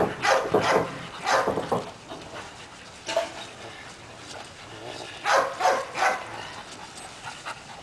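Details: Barks from Caiman, a young Belgian Malinois aged seven months, at an obedience session. They arrive in clustered pairs with quiet gaps between, and faint panting may be heard between them.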